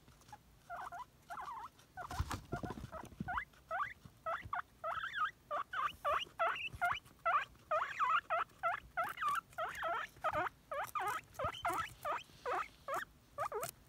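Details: Nimbus, a male pet guinea pig, wheeks excitedly for celery. A long, dense chain of rising, wavering squeals runs almost continuously, with a rustling noise burst near the start.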